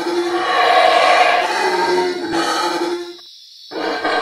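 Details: Black howler monkeys howling in Belize, at locations including Pook's Hill Lodge, Caracol and the Baboon Sanctuary, with a dense, continuous throaty roar that holds for about three seconds, drops away briefly, then resumes, over high insect buzzing.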